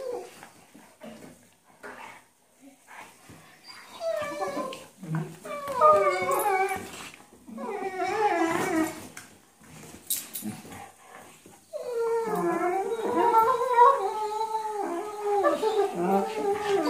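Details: Two Weimaraner sisters, Jila and Faith, play-fighting on a bed indoors: wavering, whiny growl-grumbles in bursts between four and nine seconds, then a long, sustained, warbling stretch from twelve seconds on, with short quiet pauses and scuffling between.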